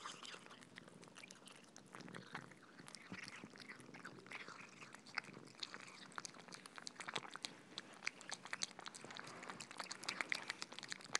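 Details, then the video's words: Cats eating soft food, continuous moist chewing and smacking, crisp clicky bites scattered densely throughout and a little louder in the final seconds. "Cats eating Soft Food ASMR - Feeding Cats - Cat Eating Sound"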